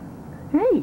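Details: White Boy, a neighbourhood cat, visiting: a single rising-then-falling meow, short and clear, right after a person tells him to go back outside.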